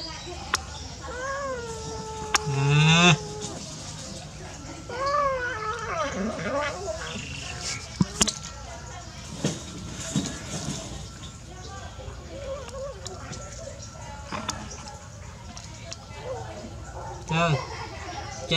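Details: Hungry stray kittens crying while being fed, several curving, harmonic mews that rise and fall, clustered early and again midway, with scattered clicks, knocks and background noise between calls.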